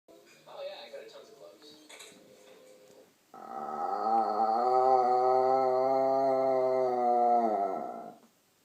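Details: Pet dog indoors at night, suddenly making odd noises for the third time; after some soft scuffling and murmuring comes a long, steady, harmonic moaning howl of about five seconds, even in pitch, ending abruptly.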